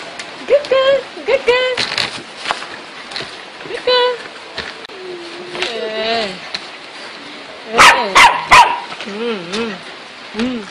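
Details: Dogs chasing each other around in play, giving high, tonal yips and whines that rise and fall, some wavering, in short scattered bursts, with sharp broadband noises and background chatter between them.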